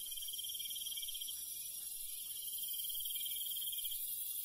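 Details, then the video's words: Countryside cricket singing at night, a fast pulsed high trill lasting over a second, breaking off, then resuming for about another second, set against a continuous bright drone of other insects. "시골 밤벌레 소리, 귀뚜라미 소리"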